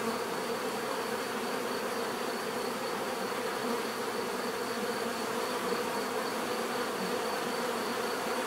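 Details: Steady swarm-like hum of bees, a continuous mid-pitched buzzing with slight flickers in intensity but no pauses across the stretch.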